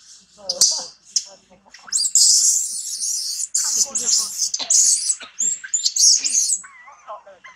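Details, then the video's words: Tobais, a baby monkey, throws a crying tantrum while mother Toma treats it roughly; loud, shrill, sustained screams come in repeated bursts over several seconds, mixed with shorter squeaks and a final wavering whine. "Crazy mom Toma abuse on baby Tobais cry tantrum"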